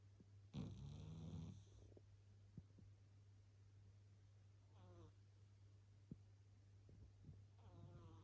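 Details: Meyvoş the cat snoring while asleep: a loud rasping snort near the start, then softer buzzy, ridged snore breaths recurring every few seconds over a steady low electrical hum.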